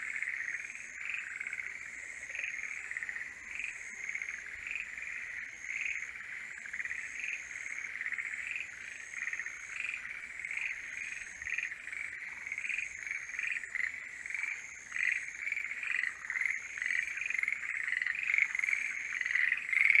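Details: Several forest green tree frogs calling in mating season: overlapping rattling, pulsed croaks form a steady chorus that swells and grows louder toward the end, with a thin high whine coming and going above.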